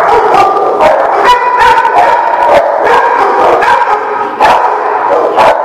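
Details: Dogs barking together, recorded March 26, 2018: a dense run of sharp, overlapping barks from several dogs, repeated many times a second with no pause, some harmonic yelps mixed in.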